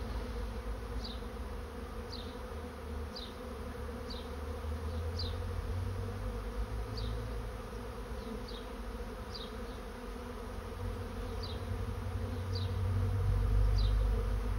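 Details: Honey bees swarming into a trap, a constant low droning hum from many insects that swells toward the end, while a bird repeats a short high chirp about every second.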